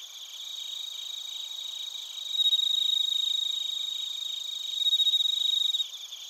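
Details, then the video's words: Close cricket and bell cricket chirping recorded in Narita, Chiba, Japan; a near caller adds loud rapid pulsed bursts lasting a few seconds each over a fainter continuous high trill. "スズムシとコオロギの鳴き声 - Chirping of crickets"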